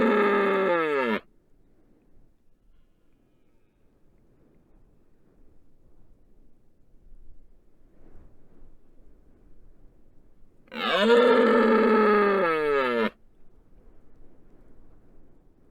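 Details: Rutting red deer stag on the Isle of Rum, standing over a microphone laid on the road and bellowing to attract females and advertise prowess to rivals. One loud, harsh, harmonic roar falls in pitch and breaks off. After a quiet pause, a second roar follows.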